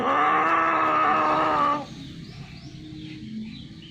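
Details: A domestic cat during mating gives one loud, steady, strongly harmonic wail of almost two seconds that cuts off abruptly, leaving quiet background noise.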